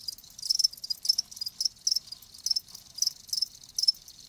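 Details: Live crickets chirping: bright, high-pitched trilled pulses coming about two per second, slightly uneven in spacing and loudness, with nothing else audible.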